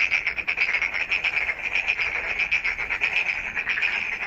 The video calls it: Night frog call